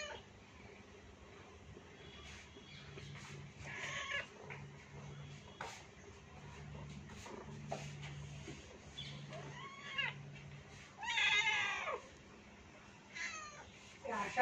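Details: Kittens with their mother, several high harmonic meows arching at about 4, 9.5, 11 and 13 seconds, the loudest near 11 seconds, over a low steady hum and faint voices.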